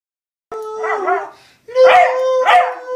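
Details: A Cocker Spaniel sings along to the carol "Hark the Herald Angels Sing", giving drawn-out, quavering, mid-pitched howls that slide and waver, breaking into two rising bursts over the steady musical notes.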